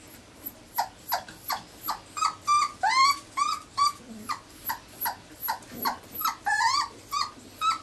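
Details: Irish Terrier pups four weeks old, 29 January 2011, whimper steadily: high rising squeals repeated about two or three times a second in a regular insistent series, some longer upward-sliding cries mid-way.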